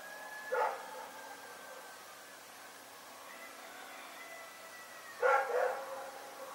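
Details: Rex, a dog, barking at night: two short, sharp barks about four and a half seconds apart, separated by faint tonal background hum.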